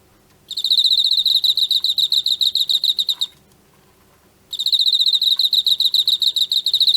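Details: Emma field cricket captured in autumn sings rapid high chirps in two bursts, each a regular run of short trilled notes, separated by a pause of about one second, with quiet background.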